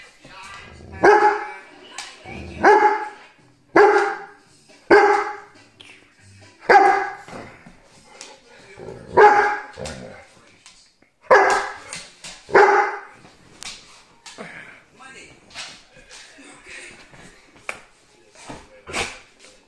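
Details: Male Cane Corso puppy with a blue brindle coat, four to seven months old, giving loud deep barks in uneven bursts, roughly one every second, with brief pauses and a person's voice nearby.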